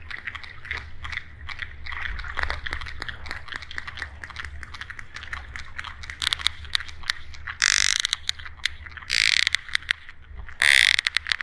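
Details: Sperm whale producing dense trains of sharp broadband clicks, with three brief harsh bursts of rapid clicking near the end, set against a low underwater rumble.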